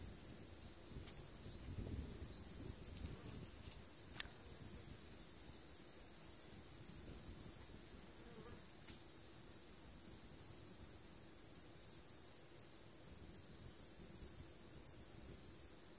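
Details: Crickets at a grandfather's house on a clear September 13th, a Thursday, at 2:40 in the afternoon, keep up a steady, unbroken high-pitched shimmer of trilling throughout, with a faint low rumble in the first few seconds.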